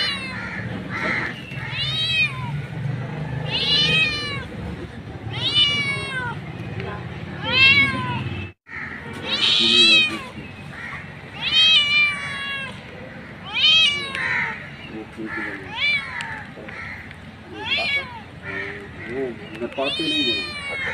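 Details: A street cat mother calls her kittens with a long series of sharp, falling meows, about every one to two seconds, briefly cut by a gap, over low murmuring background.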